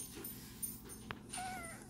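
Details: Matty, a pet cat unhappy about wearing a harness, gives a faint, drawn-out meow with a slightly falling tone near the end, preceded by a sharp click against quiet indoor background hum.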